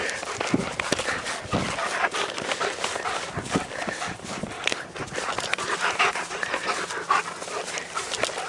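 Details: German Shepherd panting rapidly and steadily during play, a continuous breathy rush through the whole stretch, while a person calls it to come and hands clap nearby.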